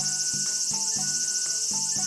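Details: Cicadas in Japanese summer give a dense, continuous high-pitched buzzing drone from the trees, with soft music playing underneath.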